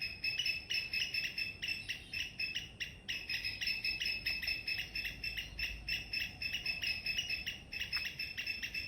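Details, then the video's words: Loud morning chirping from a squirrel in a garden: a long, even run of quick, high, clipped notes pulsing several times a second with barely a pause, over a soft low hum. "Loud Squirrel Chirping sound in the morning"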